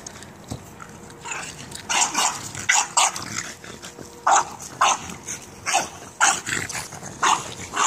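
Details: Female French bulldog barking with excitement while playing soccer: short, bright barks about every half second over steady background noise.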